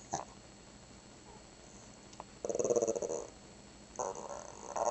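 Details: Shih Tzu 'talking' as if saying 'grandma': after a quiet start, a loud, buzzy, pulsed growl of almost a second, then a second rough growling burst near the end.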